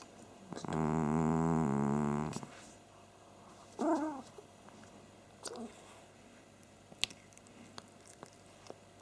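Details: Domestic cat snoring while asleep as someone urges him to wake: one strong, low, buzzing snore breath, then a short wavering vocal sound and scattered clicks and rustles.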